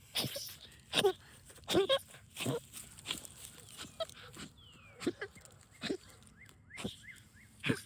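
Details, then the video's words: Excited dog hunting moles in backyard dirt, making goose-like honking noises: short, sharp snorting honks about every second, uneven in spacing, with a person talking softly nearby. "Funniest Dog Noises Ever!"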